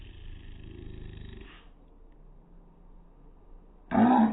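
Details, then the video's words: Slowed-down pug bark: a long, low, rumbling drawl fades out, followed by a quiet pause and then the loud, deep onset of another stretched bark at the end. "Pug barking in slow motion. Weird sound!"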